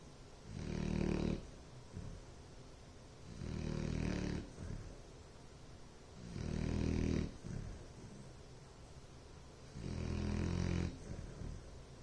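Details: Sleeping Bloodhound snoring in steady rhythm, four loud rumbling snores about every three seconds, each a deep buzzy drone lasting roughly a second, separated by quieter breathing gaps.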